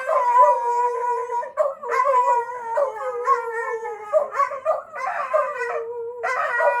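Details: Several dogs howling at a fire engine siren; overlapping long wavering howls with layered harmonics, pitches sliding up and down, some voices holding steady tones while others break into rising yips.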